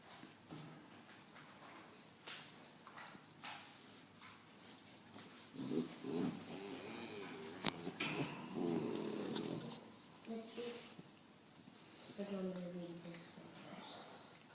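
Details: Two 9-week-old Great Dane puppies napping together in their crate: rough snoring breaths and low rumbling snorts, with raspy nasal rattles and a few harmonic whiny tones near the end.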